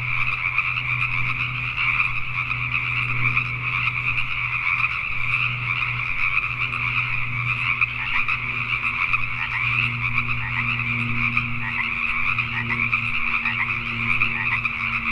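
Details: Nighttime chorus of Pacific tree frogs in Richmond, British Columbia, Canada, many frogs croaking together without pause for fifteen seconds, while a low droning hum, perhaps distant traffic, runs underneath.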